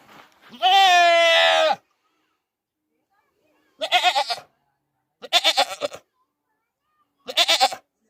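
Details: Goat screaming: one loud, strained, harmonic bleat lasting over a second, followed by a quiet gap and then three shorter, choppy bursts that sound like voices.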